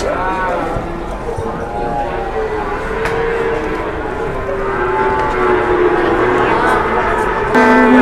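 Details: Jumbo cattle giving long, level and slightly falling moos, one after another, with people talking nearby and a noisy background.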